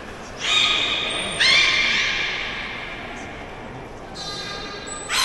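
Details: Soothing calls of a captive beluga at Port of Nagoya Public Aquarium. Four separate whistles with layered overtones: a level one, then a louder note that bends upward, a pause, and two more bright whistles near the end, over a low room murmur.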